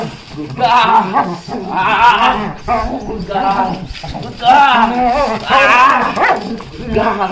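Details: A Belgian Malinois barking during protection work training: loud, harsh, repeated barks roughly once a second, some rough and growling, with a man's voice in the background.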